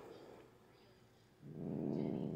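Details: Female house cat growling while having her nails clipped at night; after a quiet first second and a half, a low, coarse rumbling growl rises and holds to the end.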